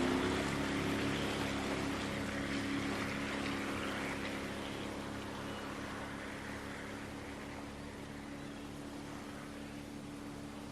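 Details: A steady engine drone with harmonic hum and broadband rushing noise, like a motorboat on water, with no animal sounds. The engine tone holds level throughout while water and wind noise wash over it.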